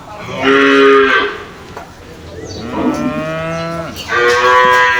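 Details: Caged cows calling back and forth, heard loudly: a strong moo near the start, a longer wavering moo in the middle, and a third loud moo at the end, each rich in stacked harmonics.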